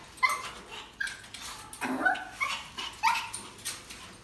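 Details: Purebred poodle giving a series of short, sharp, high yips and barks, about one every half second, with brief pauses between some of them.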